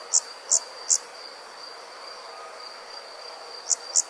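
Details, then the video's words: Countryside insects on a summer night: three high, sharp chirps, a pause of over two seconds with only a thin steady whine, then two more chirps. "Comforting Summer Insect Sounds"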